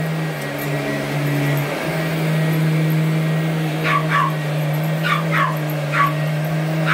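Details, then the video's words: Small Boston Terrier Allie, 12 years old and 8.5 pounds, attacking a running vacuum: several sharp yapping barks in the second half, after a stretch of only constant motor drone. "Vac Attack by My Little Boston Terrier, Allie"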